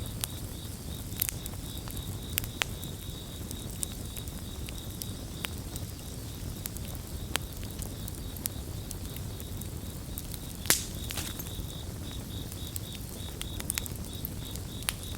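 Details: A continuous high, finely pulsed cricket chorus hums beneath a crackling bonfire whose irregular snaps and pops punctuate the scene, with a soft low rumble underneath.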